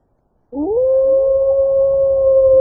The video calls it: Animal sounds Wolf sounds Wolf sound effects howling